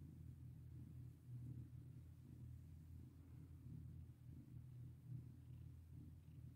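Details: A cat purring as it is petted: constant low vibrating rumble with gentle rises and falls in loudness, nothing else clearly heard.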